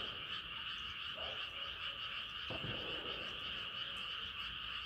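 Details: Moonlit night with frogs calling en masse, their high pulsing trills merging into one steady drone; a dull thump breaks in midway.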